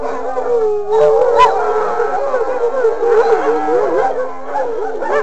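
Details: Group howl from wolfdogs, long mid-pitched notes bending up and down in overlapping layers, one voice sliding higher near the middle, the chorus steady and unbroken throughout.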